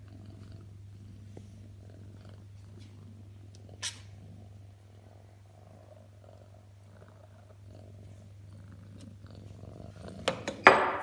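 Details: Birman cat purring in a continuous low, even drone, with soft rustling and a couple of sharper handling noises near the end.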